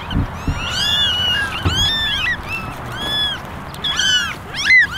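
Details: Basket of eleven kittens, ten ginger and one all white, calling for attention with a near-continuous chorus of overlapping rising-and-falling meows, several voices at once, over a faint low rumble.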